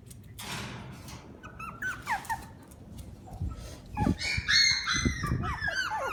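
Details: Shiba Inu siblings giving high, squeaky whines and yelps, short rising and falling cries in quick overlapping bursts, most crowded in the second half, over low thumps and rustling handling noise.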